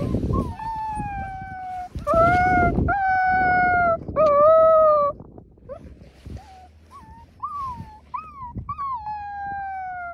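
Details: Wolfdog puppies learning to howl with adults: several sustained level howls in chorus, then a run of short wavering, rising-falling puppy howls over soft background rumble.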